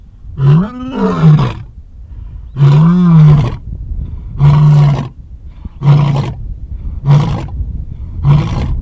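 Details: Bloody-mouthed male lion roaring in a full sequence: two long, deep roars, then four grunting roars, each shorter and coming quicker than the one before.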